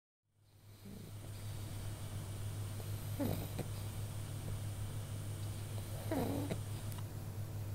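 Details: A pug asleep and snoring. Two short nasal, faintly tonal snorts come about three seconds apart, set against a steady low electrical hum and soft room noise.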